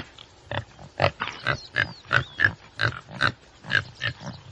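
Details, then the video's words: Rapid series of rough, snorting grunts from a common tsessebe, uneven in spacing and loudness, with faint thin bird whistles sliding in the background. "Sasebi właściwy. Odgłosy i Dźwięki jakie wydaje Sasebi właściwy. Jak robi Sasebi właściwy?"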